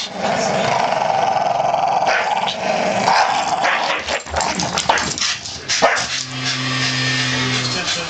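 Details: Two Staffordshire Bull Terriers playing tug with a blanket, growling and snarling in rough bursts with a few sharp barks.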